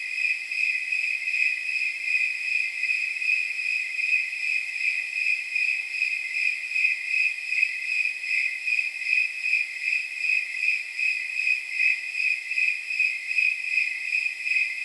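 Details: Snowy tree crickets calling on a warm night of about 79 degrees. Their bright, bell-like chirps pulse evenly over and over in a continuous rhythmic chorus, with nothing else audible.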